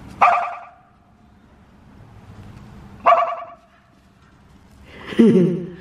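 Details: Dog named Reese barks at passing cars, recorded 29 January 2024; three single, spaced-out barks roughly every two and a half seconds, the last one lower and rougher, over a quiet background.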